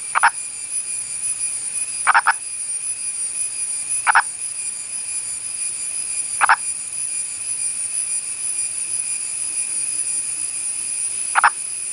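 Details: Indian purple frog from the Western Ghats of India giving short, sharp clucking notes, some doubled, spaced irregularly every two to three seconds over a steady high-pitched whine in the background.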